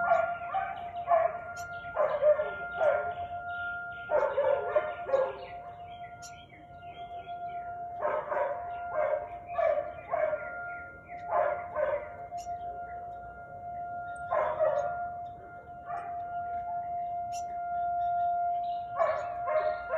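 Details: Siberian Husky barking repeatedly on the afternoon of 13 March 2021: quick runs of two to three coarse barks every couple of seconds, with a steady high-pitched hum persisting throughout.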